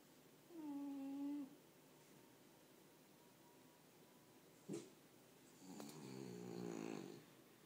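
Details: A female French Bulldog snores quietly, with a nasal, tonal wheeze and later a longer, rough, rumbling snort, separated by a soft click.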